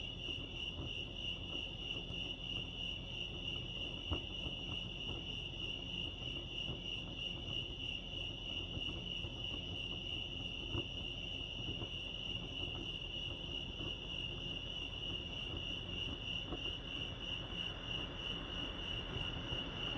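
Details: Lake Arrowhead crickets in California chirp in a constant high rapid trill from start to finish, accompanied by low rumbling ambient noise and occasional soft knocks.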